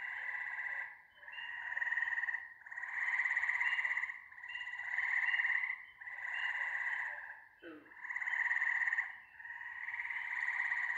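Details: ['Frogs trilling in chorus, with steady buzzy pulsed calls that overlap and swell in waves, and a short sliding sound near the end.']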